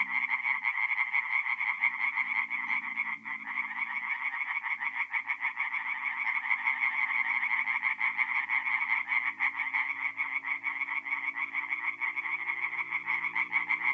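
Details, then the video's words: Tree frogs singing at night at a forest pond in mid-April, north-east Italy: a dense chorus of rapid pulsed croaks, bright and continuous, with faint low droning tones underneath. "relaxing forest pond by night with singing tree frogs"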